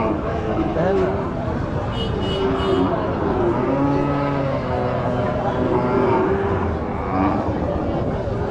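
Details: Cows at a busy village cattle market: several drawn-out, wavering moos rise and fall among loud crowd chatter and vehicle noise, calls overlapping through the scene.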